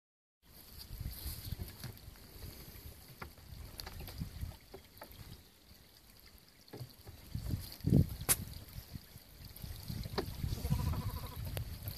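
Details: Outdoor rumble of wind and microphone handling with scattered knocks and clatters, a loud bump near eight seconds and soft trickling noise; no animal call stands out.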